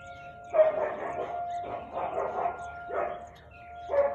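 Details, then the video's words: Barking Siberian Husky, 4:17 pm, 13 March 2021: four rough, drawn-out bark bursts spaced roughly a second apart, with a faint steady tone underneath. "Husky barking"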